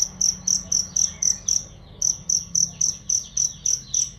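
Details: Cricket used as a songbird training sound: piercing high chirps repeat roughly four per second, with a brief pause near the middle before the even pulsing resumes over a soft background hum.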